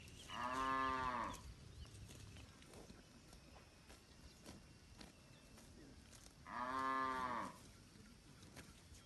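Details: Village cattle among a large herd roaming and grazing in a green rice field: two loud, drawn-out moos about six seconds apart, each rich and harmonic, with faint bird chirps and clicking sounds outdoors between them.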